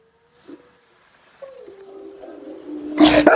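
A Rottweiler gives a drawn-out howl that starts high and slides down to a lower, steady tone.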